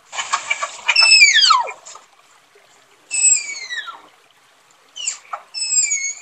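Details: Tapir producing a series of high squealing whistles that glide downward, an opening burst of rapid clicks and squeaks, then three distinct descending calls separated by short quiet gaps.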